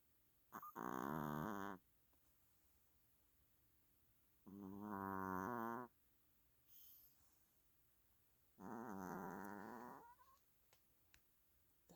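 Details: Chihuahua snoring hard while asleep: three drawn-out, wheezy, slightly whistling snores, each lasting over a second and coming about every four seconds, with faint soft clicks between them.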